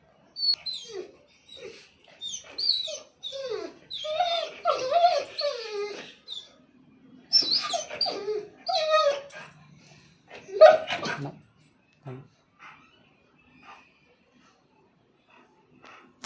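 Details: A male German Shepherd Rottweiler mix, excited on realising he is going outside for a doctor visit, whines and yelps in high, wavering, rising and falling cries.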